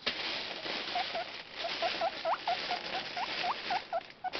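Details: Pet guinea pig Taemin wheeking with morning excitement as the food bag is moved, a fast series of short rising squeaks over steady rustling of the bag.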